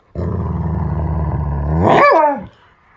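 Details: A male Alaskan Malamute on a bed, reacting to being told he is adopted, gives a long, low, rumbling grumble that swells into a short rising-and-falling woo; San Jose, California, November 2, 2020.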